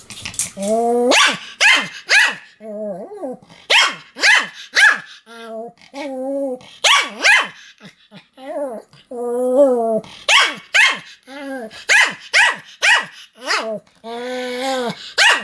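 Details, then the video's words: Pomeranian Sam keeps up nonstop barking, recorded 7 October 2015: a steady stream of shrill, clipped barks about two per second, interspersed with wavering whiny yelps, with no long pauses. "犬の鳴き声 ポメラニアン サムの連続吠え"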